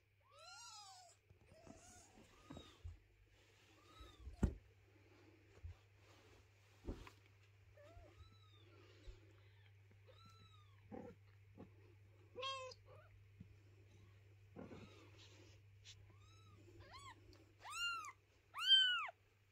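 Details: Mother cat relocating her kittens inside the home and objecting to their house being tidied: scattered thin, arched meows, a few louder and higher near the end, between soft knocks and rustling.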